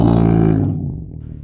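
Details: A tiger gives a single loud, deep roar with rich low harmonics that fades away over about a second and a half, with nothing else heard.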